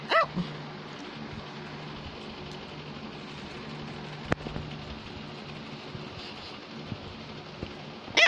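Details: A female Cavalier King Charles Spaniel gives short, bright barks to get her owner's attention.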